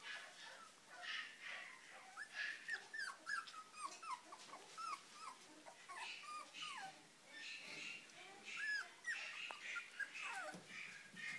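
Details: Male Chihuahua giving a run of short high whimpers and yelps, rising and falling squeaks repeated roughly every half second with brief gaps, over a faint indoor hiss.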